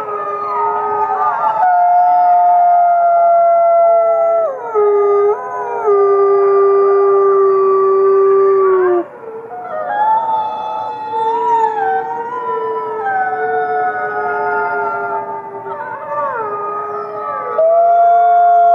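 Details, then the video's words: Fifty gray wolves howling in chorus, dense layers of sustained, sliding howls; one long note slowly sinks, a brief pause follows, then many voices resume with bending, wavering tones and a final high level howl. "Fifty Wolves Howling"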